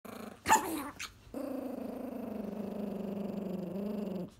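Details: Angry Chihuahua growling while protecting his pizza crust: a short sharp sound, then one long steady rumbling growl with a pulsing texture lasting about three seconds.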